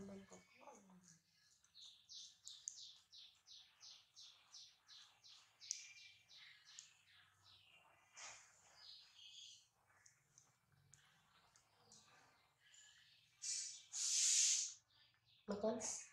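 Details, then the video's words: Newborn baby monkey Dody, touched softly on the neck by his mother and described as laughing, gives a quick run of high, chirpy squeaks, then scattered softer squeals and a louder shrill cry near the end. "So Adorable Newborn Baby Dody Laughing When Mom Touch His Neck Softy"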